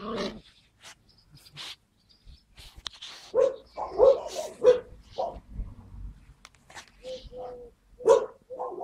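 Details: Skye Terrier puppies, 5 June 2016: sharp, high-pitched puppy yips in irregular bursts, about one or two per second, plus a short squeaky whine and scattered rustling and tapping.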